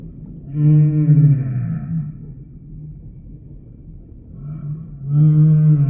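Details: Two deep humpback whale song units separated by a quieter gap: a long harmonic moan with bright upper overtones, then a shorter rising moan starting near the end, all over low rumbling background.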